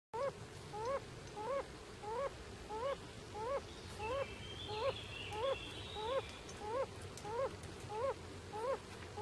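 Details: Singing male yellow-bellied toad in Bolzano province, Italy, on 3 July 2011: soft, low, hooting single notes repeated steadily about every 0.65 seconds, with a brief faint bird twitter in the background.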